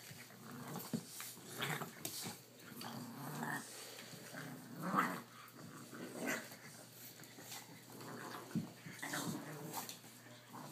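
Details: A male Boston Terrier and his 3-month-old and 5.5-week-old puppies growl and grumble in short, rough bursts during rowdy play.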